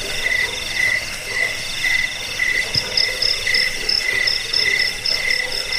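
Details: Jangkrik chirping, used as a rat-repelling and sleep-inducing sound and as song tutoring for birds: rapid, regular chirps over a droning trill, with a second higher chirping voice joining midway.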